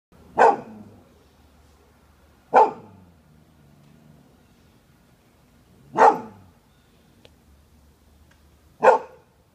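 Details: Dog barking: four single sharp barks spaced two to three seconds apart, each a short loud burst with a quick fade, in a quiet setting with a faint low hum between barks.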